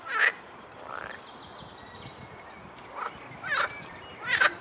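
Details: Edible frogs croaking lively in a stream flowing into the Svratka river beside a cycle path, Brno-south, Czech Republic: short rasping bursts near the start, around three seconds and at the end, over steady hissing water.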